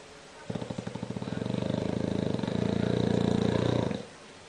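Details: Bulldog snoring: one long rattling breath of about three and a half seconds, low and buzzy with rapid fluttering pulses, starting and stopping abruptly against a quiet background.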